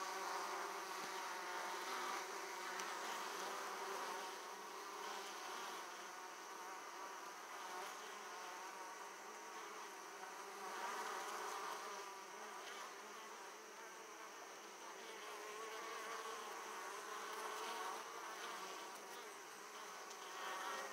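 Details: Many Italian honey bees at an opened hive, coming back with heavy loads of pollen, fill the air with a thick, steady droning hum that swells and eases slightly in loudness.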